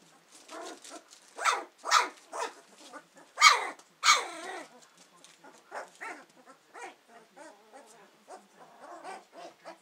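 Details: Two-week-old Hovawart puppies, just starting to use their senses while exploring, give high squeaky whines and yelps, several overlapping, in quick irregular bursts with louder cries around the middle.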